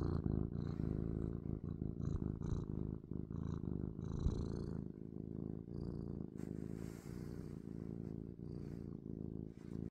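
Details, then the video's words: A cat purring and sniffing up close: a loud, deep, buzzing purr running throughout, with quick nasal sniffs and small rustling touches scattered over it, some louder breathy sounds near the end. "Cat Purring & Sniffing"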